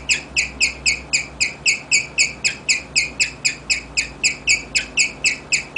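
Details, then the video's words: Serenading chirps from Rigel, a pet guinea pig: bright, piercing tweets repeated in a tight, even rhythm near four per second, continuing without pause. "More chirping from Rigel"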